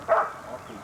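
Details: At a 1981 dog-training seminar, a domestic dog gives a single short, sharp bark, loud at first and quickly fading.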